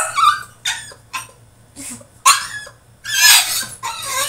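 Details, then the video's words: French Bulldog throwing a tantrum in his cage indoors: high whining yelps and short barks in uneven bursts, some drawn-out squealing cries, with a steady low hum underneath. "FRENCH BULLDOG THROWS TANTRUM IN HIS CAGE!!"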